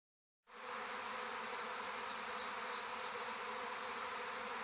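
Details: Large wild-caught Western honey bee swarm hanging about head high on a sapling in a garden beeyard, Washington, Virginia, May 4, recorded by phone: dense steady buzzing hum after a silent start, with a few faint high chirps midway.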